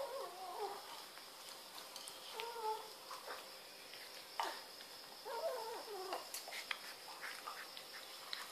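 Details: Two cats, Barbie and Choc, fighting over Whiskas food: low wavering yowls and moaning caterwauls rise and fall in several drawn-out bouts, with scattered knocks and shuffling noises between them.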